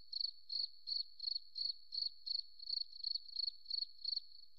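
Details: Cricket in a forest setting giving a steady run of short, high, pulsed chirps, about three per second, thirteen in under five seconds, over a silent background.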